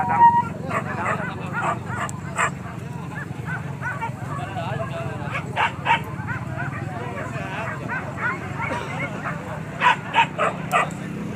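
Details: Hunting dogs barking during a wild boar hunt at Kayu Ampek, Tanjung Emas district, Tanah Datar regency: short sharp barks in scattered bursts, some clustered in quick runs, over steady low rumble and people talking.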